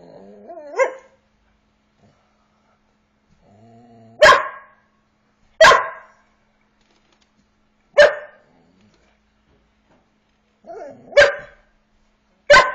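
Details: Border Collie corVata, eight months old, barking to ask for play: single sharp barks spaced irregularly, roughly every one to two seconds, with faint whines between them.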